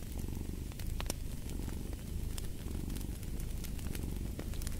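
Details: Domestic cat purring beside a crackling fireplace: a steady low rumbling purr swelling with each breath, overlaid by sharp pops and crackles from the fire.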